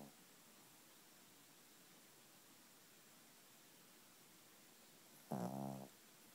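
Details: Sprawled on a bed at night after a tiring afternoon bath, a sleeping female dog lets out one short, low, buzzing snore near the end, otherwise faint indoor hiss.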